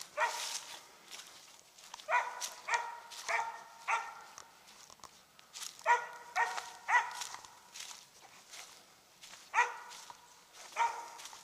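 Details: Treeing Mountain View Cur, Max Pine Knot, roughly three years old, barking treed at a squirrel while hunting in South Carolina; loud, harmonic barks in clusters of two to four, with pauses and leaf-litter footsteps.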